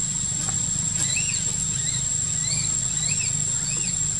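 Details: Park-living baby macaque Quinton crying after rough treatment by his sister monkey: a quick series of high, arched whining squeals, several each second, above a low rumbling hum.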